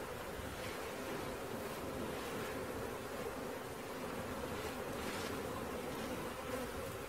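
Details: Swarming honey bees being collected, a broad steady hum blurred by rushing wind-like noise, so the buzzing sits less clearly apart.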